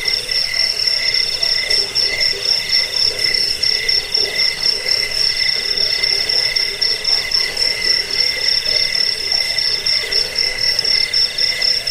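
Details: Continuous cricket trilling meant for chasing off rats, helping sleep and tutoring caged birds; fast, even pulses in high ringing layers that never pause, nothing else audible.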